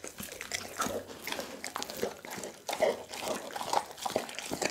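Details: Pit bull named Doggy eating a whole chicken, Christmas ASMR: wet, irregular crunching and biting bursts with smacking, indoors in a small room, no voices.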